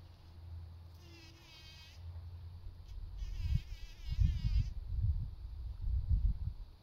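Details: Bee at work pollinating, buzzing busily: a wavering, pitch-shifting drone heard in two bursts, the second longer, with gusty low rumbles of wind or handling noise building toward the end.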